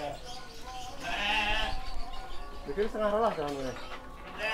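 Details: Rams about seven months old at a sheep farm in Kediri, Indonesia, let out a drawn bleat then a wobbling, falling one, while a man talks throughout.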